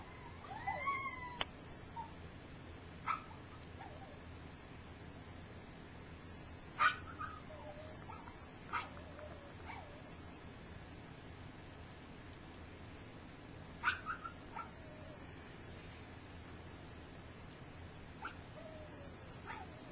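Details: Three-week-old puppies of Gypsy, some walking and some asleep, let out a cluster of mewing squeals at the start, then scattered short high whimpers across a low droning background.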